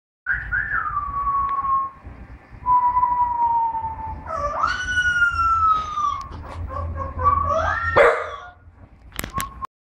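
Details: Little puppy giving long, high, drawn-out whines that slide downward, with a rising yelp near the middle and a sharp higher yelp near the end, separated by brief quiet gaps over a low background rumble.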